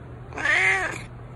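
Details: Elderly 19-year-old domestic cat, once a stray, suffering a spinal disc problem, arthritis and cystitis, meows near mealtime: a single loud, drawn-out meow of under a second that rises then falls, over faint room hum.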